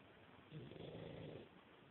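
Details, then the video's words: A sleeping pug named Yoda gives a single low, rumbling snore of about one second, breathy and throaty against steady background hiss. "Yoda the snoring pug."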